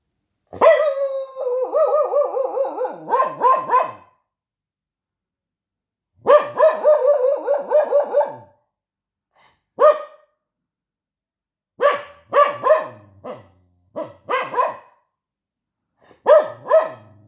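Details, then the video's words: Dog barking, protesting and talking: long wavering yowls with rich stacked overtones lasting two to three seconds, each pulsing up and down, then bursts of short yelping barks in quick clusters, with silence between bouts. "DOG barking / protesting / talking"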